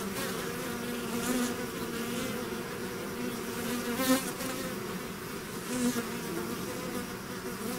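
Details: Swarm of bees leaving the hive: a steady many-voiced drone with stacked harmonic bands, punctuated by three close fly-bys that swell briefly louder, the loudest around four seconds in.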